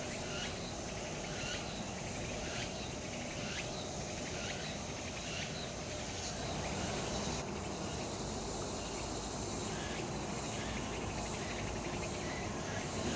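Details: Cicadas singing in a late-summer chorus in the woods of Changgyeonggung Palace, Seoul, South Korea: a dense, high buzzing wall of sound with repeated pulsing surges every second or so, over a steady low hum of distant city noise.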